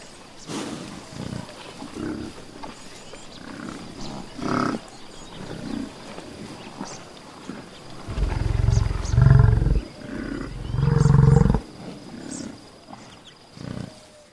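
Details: Buffalo outdoors in nature: soft scattered grunts and low murmurs at first, then two loud, deep, resonant bellows in close succession in the second half, fading back to quiet grunting.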